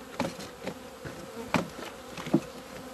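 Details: Honey bees out in the sun on 17 February 2020 after two months in the hive. A softer hum sounds under several loud close taps and brief buzzing bursts as bees pass near.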